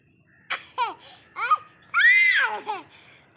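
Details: Baby goats playing, running and jumping; a quick run of short, falling bleats, then a longer arched bleat that rises and drops, with brief quiet gaps between calls.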